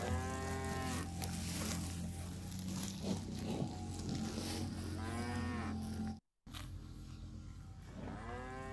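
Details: A cow wandering and grazing on fresh grass in a grassy field gives deep, drawn-out moos with strong harmonics, repeated several times.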